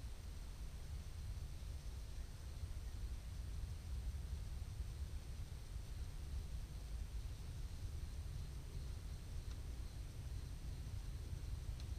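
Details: Steady low rumbling outdoor noise, like distant traffic or wind, continues throughout without any animal call.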